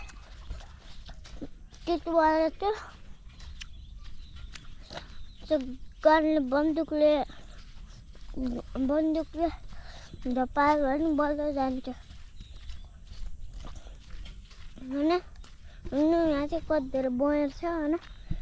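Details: Repeated wavering, nasal bleats from a male goat, coming in irregular bursts every few seconds throughout, some drawn out and trembling, with low background rumble and occasional faint voices.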